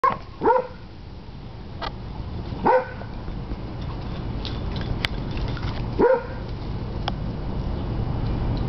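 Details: Basset Hound pup at play with an older Beagle/Basset Hound mix: three deep, short barks, spaced two to three seconds apart, over a steady low rumble with soft scuffling between them.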